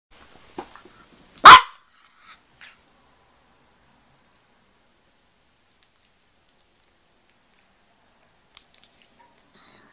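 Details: A Pekingese gives a single sharp, high bark, followed by near silence; recorded September 28, 2010.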